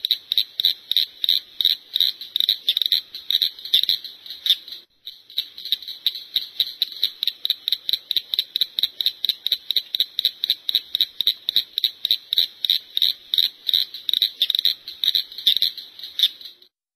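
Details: Cricket frog calling: a long run of sharp, dry clicking pulses, steadily repeated about three times a second and speeding slightly, with one brief pause early on and a clean background.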